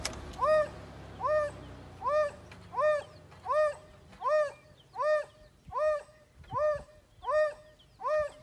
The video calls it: The call of the AFRICAN WILD DOG